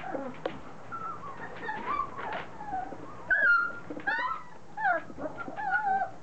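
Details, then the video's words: A litter of three-week-old Standard Poodles, just beginning to play, fills the air with many high, wavering squeals and whines, with sharper cries coming in quick clusters toward the end. "3 week old standard poodle puppies"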